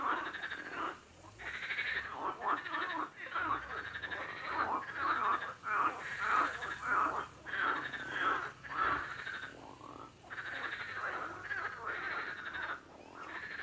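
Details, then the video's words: Croaking frogs, a steady run of raspy, pulsed calls repeated about every half second to second, many voices overlapping with brief pauses between bursts. "Frog Sound | Bruit de Grenouille | Kurbağa Sesi"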